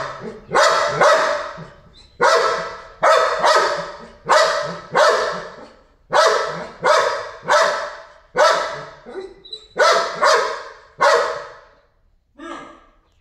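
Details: Dog barking while reacting to fish in a pond; loud sharp barks, singly and in pairs, about every second, with brief pauses and a fainter final bark.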